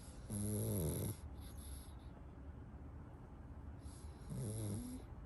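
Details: Dudu the pug sleeping while hugging a toy duck, snoring: two deep, rasping, low snores with wavering harmonics, one near the start and another about four seconds later, separated by quiet breathing.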